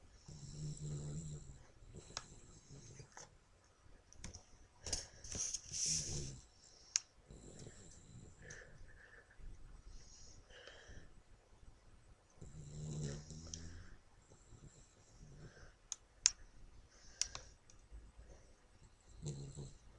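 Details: Toby, a pet dog, snoring while asleep: low, rattling snores in bursts a few seconds long, separated by longer quiet gaps, with soft clicks and faint hiss between breaths.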